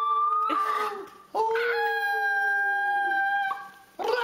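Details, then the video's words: Puppy giving long, level, sustained howling notes in two or three drawn-out phrases separated by brief pauses. "CUTE PUPPIES HOWLING COMPILATION"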